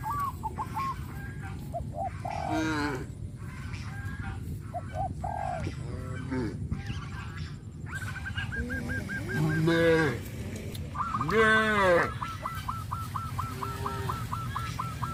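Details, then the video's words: Cows herded through village rice fields after the harvest on a traditional farm. Two loud, drawn-out moos rise over a steady chorus of short, repeated honking calls from fowl, with low rumbling background noise throughout. "Herding cows in the rice fields after the rice harvest season-sound of cows"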